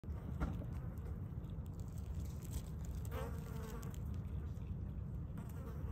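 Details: Asian hornet (Vespa velutina), an invasive species, in fight mode: a dense, steady low buzzing throughout, with a brief higher whining tone near the three-second mark and faint rustling.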